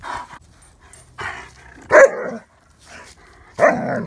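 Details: Odin, a German Shepherd, play-fighting with Feisty Hannah, another dog: short loud barks and yips come in separate bursts about a second apart, with quieter gaps of softer huffs between them.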